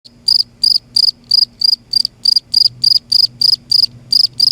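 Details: A cricket calling at night in Kerala, giving a loud noise. It makes short, sharp, high chirps repeated about three times a second in a steady pulsing train. A faint low hum sits underneath.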